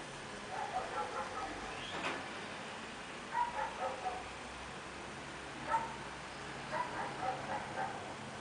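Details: Baby Chihuahua puppies at play give short, high squeaky yips and whimpers in quick clusters, a few bursts close together then a pause before the next run.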